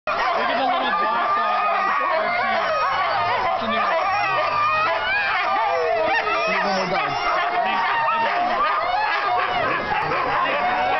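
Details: Sled dogs (huskies) howl and yelp together before setting off, in a dense, overlapping chorus of wavering cries.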